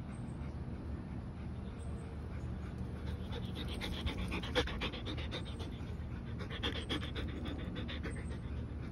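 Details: German Shepherd Rex, 110 lb, worn out from playing and running with Mya, a 50 lb Belgian Malinois; quick, ragged panting breaths in bursts, louder around the middle, over a steady low rumble.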